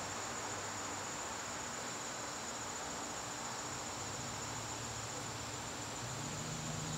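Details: Garden crickets on an evening in September give a steady, shrill continuous trill throughout, with a hissing background and a faint low hum that rises slightly near the end.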